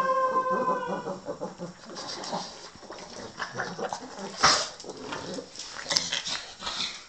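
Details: Dinner time for a blind pug: a brief high whine opens, then gives way to snuffling, chomping and crackly chewing noises, with one louder snort-like burst midway.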